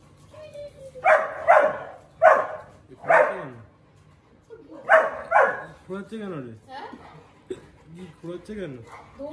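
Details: Several Siberian Huskies in a house in the morning, all wanting to go to the terrace, sound off in loud, excited bursts that break into wavering, yodel-like howls.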